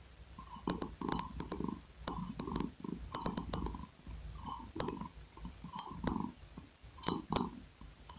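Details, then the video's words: Close ASMR recording of a domestic cat's purr, rhythmic rumbling bursts rising and falling about every second, with crackly high accents on each pulse and no other sounds. "5 Minutes of Sweet Asmr Cat Purring Sound"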